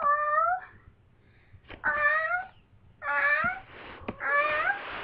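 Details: Pet cat in heat, indoors, answering people's voices as if they were cats: four drawn-out, wavering meows, each about half a second to a second long, separated by short pauses and a few soft thumps.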